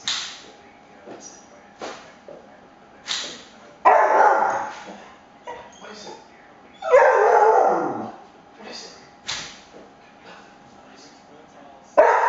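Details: Cooper, a pet cocker spaniel, freaking out as blinds are played with indoors; a few loud, harsh barks and whines stand out between quieter stretches with clicks and rattling from the blinds.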